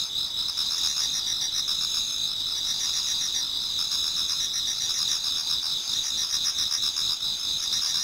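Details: Many autumn insects singing in a Japanese garden towards dawn, a dense continuous chorus of high, shrill trilling bands layered together with faint pulsed chirps beneath, steady and unbroken throughout.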